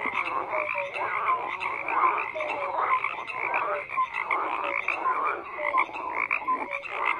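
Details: Many frogs croaking together in a dense overlapping chorus, rapid pulsed calls layered with short tonal notes, steady and continuous with no other sounds standing out.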